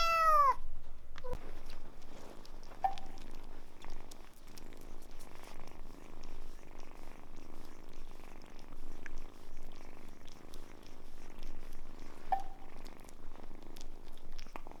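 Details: Steady low purring from Samson, a cat rescued as a kitten from a car being serviced. It runs throughout after one brief opening meow, with a few soft chirps scattered through.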